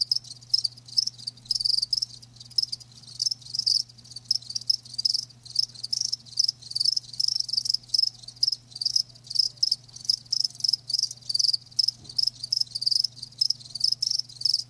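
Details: Live crickets chirping continuously in bursts, a high trilled pulse train repeated several times a second with short gaps, steady over the whole stretch; a faint low hum lies underneath.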